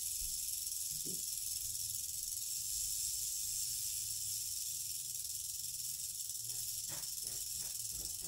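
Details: Rattling of an eastern diamondback rattlesnake, female: an even, unbroken hiss-like buzz sustained throughout, with a few soft clicks and knocks near the start and toward the end.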